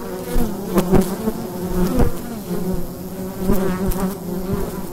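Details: Bees buzzing at the entrance of a wild beehive in daytime in fall; a steady low droning hum with overlapping wingbeat tones, swelling and fading as individual bees pass close, with occasional brief sharp clicks or taps.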